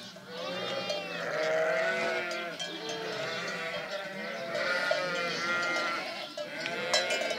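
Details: Sheep flock bleating continuously, many overlapping quavering bleats of different pitches layered over each other, some higher and thinner, others lower, with a brief sharp knock near the end.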